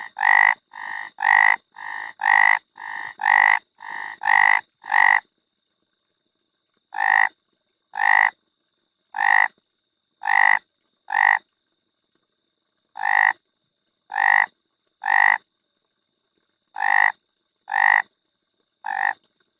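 A frog gives loud, nasal croaks, first in a quick run, then spaced about a second apart.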